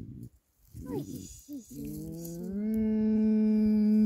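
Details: A female leopard gives soft, tonal moaning calls, ending in a long, steady, slightly rising note, responding to a student's voice while turning in circles and rolling over, seemingly happy.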